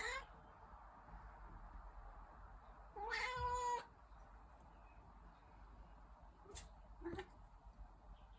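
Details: Young Dragon Li kitten in Hangzhou, Zhejiang, China, during a scuffle, with one loud, drawn-out harmonic meow lasting almost a second midway, plus brief clicks and thumps and a low room hiss.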